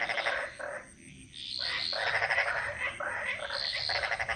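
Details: Loud croaking frogs in Bali's jungle, with rapid pulsed rattles of about half a second to a second, a brief lull, then dense overlapping croaks and higher whistled notes.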